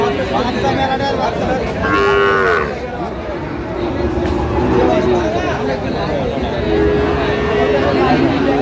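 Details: Lowing from Sahiwal bull calves amid market haggling in Munshiganj, Bangladesh, 9/8/25: one short, tonal moo around two seconds, later a long, level bellow, all under a dense babble of human voices.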